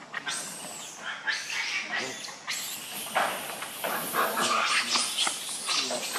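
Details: Monkey named Rainbow, very angry while protecting Lucie from another monkey, Kachoy: harsh, broadband screams and screeches in rapid bursts, overlapping and continuous through the clip, with some noisy rustling underneath.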